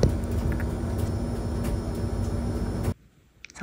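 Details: A steady low rumble like an engine or fan for about three seconds, then sudden near silence broken by a few faint clicks.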